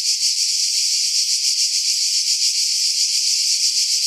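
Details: Cicadas calling from pine trees above the sea on Skiros Island, Greece, July 2018; a harsh continuous shrill buzz with quick regular pulsations, loud and unvarying.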